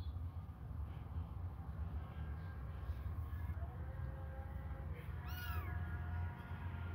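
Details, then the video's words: Hungry kittens suckling a finger; one short, high-pitched meow that rises then falls late in the clip, preceded by a faint thin drawn-out tone, all over a steady low rumbling hum. "babies hungry they suckle my fingure"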